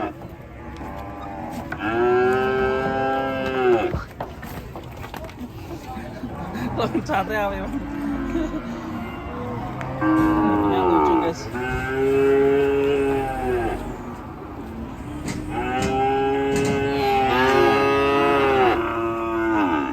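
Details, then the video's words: Raging cattle bellowing in a compilation: long, loud, rich moos rise and then fall, each lasting about two seconds and coming in three main bouts, with faint background music and voices between them. "KUMPULAN SAPI NGAMUK DURASI 1 JAM"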